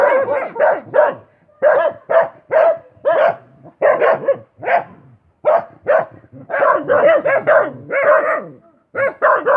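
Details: Steady series of sharp dog barks, mostly evenly spaced about twice a second, sometimes doubled, continuing throughout.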